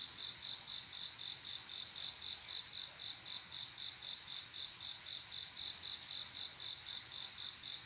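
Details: Male cricket singing on a quiet summer night to call a female for mating: a steady series of short, high, bright chirps repeated about four times a second, over a soft hiss of other distant insects.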